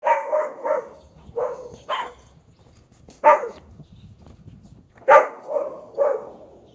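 A German Shepherd gives deep, harsh alert barks, some in quick pairs, at an uneven pace.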